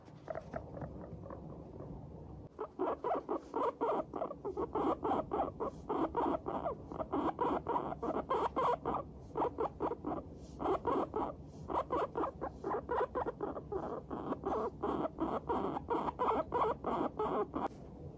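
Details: Guinea pigs in high spirits, a Teddy and an Abyssinian among them, chattering 'pupupu' while trotting along: a steady stream of short, evenly spaced putting notes, about three to four each second, loud and clear throughout.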